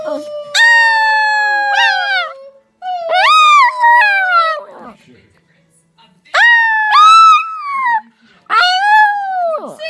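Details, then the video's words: An old poodle, fifteen years of age, sings in a run of wavering howls. Each note starts sharply, bends upward and then slides down, in four bursts separated by short pauses. Between the second and third bursts there is a longer silence. "15 year old poodle Jake singing"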